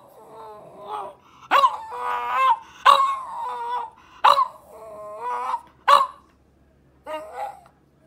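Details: French Bulldog alternating abrupt barks with long whiny, wavering vocal grumbles, six bursts over eight seconds, the last one softer, in a quiet room.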